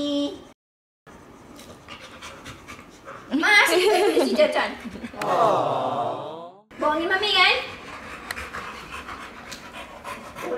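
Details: Hewie, a pet pit bull, pants indoors in quick, rhythmic, breathy pulses running through the clip, while loud bursts of human speech, including a drawn-out, wavering voice, cut in over the middle section.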